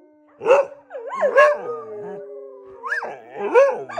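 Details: Dogs howling before going to bed: wavering, rising-and-falling tonal howls sliding between low and mid pitch, in bursts with brief pauses, over a steady low droning tone in the background.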